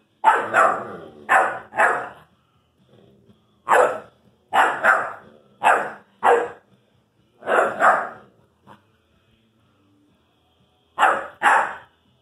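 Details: Irish Wolfhound puppy barking at his brother in pairs and triplets of short, sharp barks, with several seconds of near silence before a last pair.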